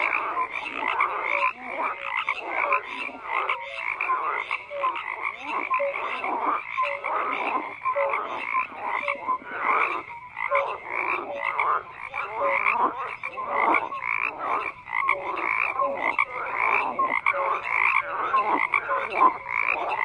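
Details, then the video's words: Dense frog chorus of overlapping croaks, rapid pulsed rasping calls stacked one over another, loudness rising and falling continuously across twenty seconds, nothing else audible. "FROGS CROAKING"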